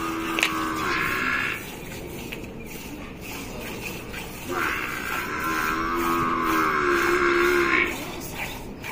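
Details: Mooing from a Gir cow being milked, Rajasthan. There is a short low call near the start, then a longer wavering moo of about three seconds, against continuous rhythmic background noise.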